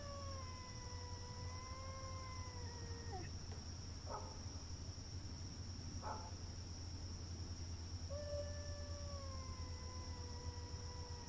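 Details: Cats fighting in a front yard: long, drawn-out wavering yowls that hold steady then sag in pitch, broken by short harsh hissing spits between them, over a constant low hum and a steady high electrical whine.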